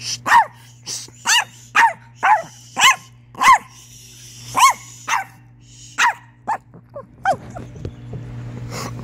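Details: Chihuahua making weird noises: a rapid run of about a dozen short, squeaky yelps, each bending up then down in pitch, spaced roughly half a second to a second apart over a low steady hum.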